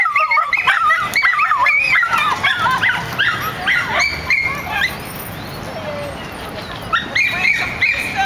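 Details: Rocky, a dog entering water for the first time, lets out a loud run of high, wavering yelps and whines that rise and fall quickly, breaks off briefly, then resumes with more squealing cries.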